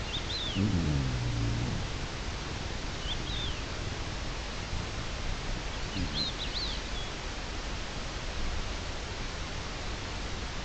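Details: An Iberian lynx (Lynx pardinus), recorded 3 May 2022, gives one low, harsh, falling call, with small birds chirping faintly behind.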